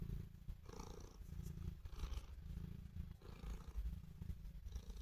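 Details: Pet cat purring as it shows love for its owner: a deep, continuous throaty rumble with a soft pulsing texture and no other clear sounds.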